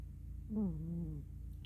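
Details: Miss Tinker Kitty, a black female cat, fast asleep curled up on her pillow indoors; a single low, humming, slightly buzzy snore lasting under a second, starting a little higher and then levelling off.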